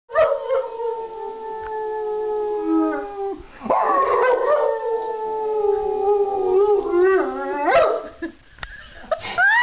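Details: Rottweiler howling along with its owners, who taught him to howl with them over the past year. Long sustained howls slide gently downward, break off, and then resume in wavering, rising and falling tones that blend with human voices.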